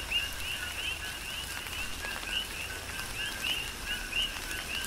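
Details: Coqui frogs on the Big Island of Hawaii calling through a tropical rain shower: scattered short rising chirps over a steady lower note band, with constant rain patter and hiss underneath.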